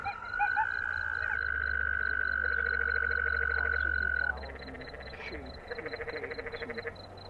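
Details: In Zion National Park, a canyon tree frog (Dryophytes arenicolor) calls with rapid, pulsed, buzzy trills in bursts of about a second, over a steady high whistling tone and faint background noise.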